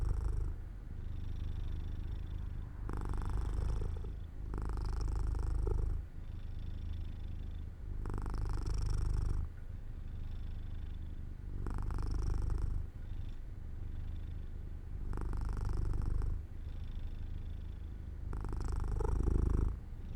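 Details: Jojo, a pet cat, purring while falling asleep near an open window in the sunlight; a deep, steady rumbling purr that swells into louder, brighter pulses about every three seconds, seven surges across the stretch, with no other sounds.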